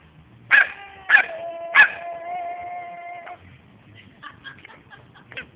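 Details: A pet dog attacking a garden sprinkler: three sharp barks about half a second apart, then a drawn-out steady whine lasting over a second, followed by faint scattered yips and quiet background.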